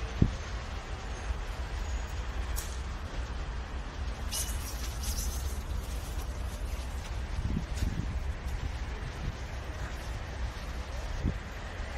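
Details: Steady low vehicle rumble fills the recording, with scattered clicks and brief higher bursts of noise, and no animal calls are heard.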